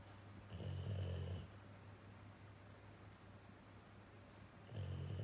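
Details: A male Labrador-Schnauzer mix, a rescue dog named Jiji, snoring at home as Kuu, a female, checks on him. One deep, rough snore opens the clip, then comes a quiet pause, and another snore begins at the end.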